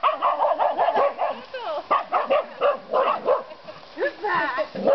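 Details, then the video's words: A pair of Finnish Karelian Bear Dogs baying wild boar, barking rapidly and almost without pause, several barks per second. The harsh, overlapping barks and yelps form an unbroken frantic chorus. "Kais baying wild boars"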